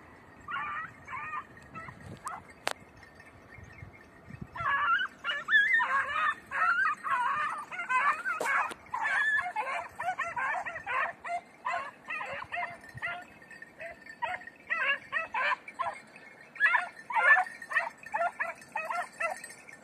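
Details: Red, blue tick and lemon-white beagles give tongue in a rapid, irregular chorus of high yelping barks and bays on a scent during hare-hunting practice on Crete, 2021.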